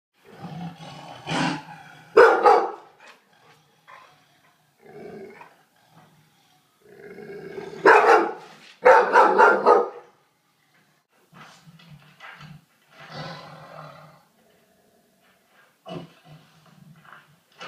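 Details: Pet dog growling and barking at a Bengal tiger shown on television, low rumbling growls broken by sharp harsh barks in irregular bursts, with quiet pauses between outbursts.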